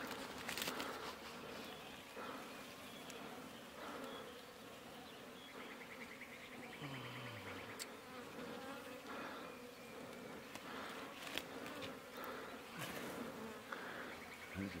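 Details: Wild honey bees swarming around a hive being cut from a bush on a mountain in rural Iran: dense continuous droning buzz filling the scene, with rustling, thumps and brief bursts of a man's voice.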